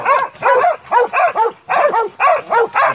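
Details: Montenegrin Mountain Hounds from kennel 'Sutorman' on the hunt: dense, loud, harmonic baying barks repeated about three per second in paired bursts, several dogs overlapping.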